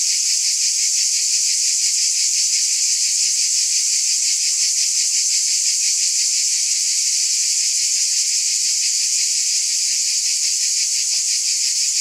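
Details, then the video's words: Unbroken buzz of cicadas: a loud, hissing drone that stays level, with a fine regular throb near three pulses per second running through the whole stretch. "Scintillating Cicadas"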